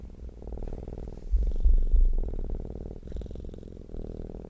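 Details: Cat purring in contentment, close and loud: a deep, pulsing rumble that rises in volume midway, then settles, with short gaps marking each breath in and out.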